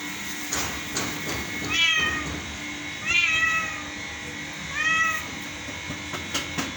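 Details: Cat giving three drawn-out, slightly rising then falling meows about every one and a half seconds, over a steady low hum and a few sharp clicks.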